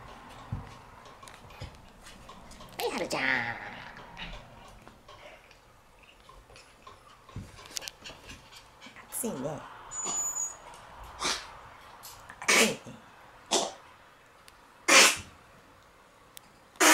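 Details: Group of Shiba Inu dogs, slightly sluggish in hot weather, panting: a series of breathy, broadband huffs growing louder and more spaced toward the end, with human speech and soft voices early on.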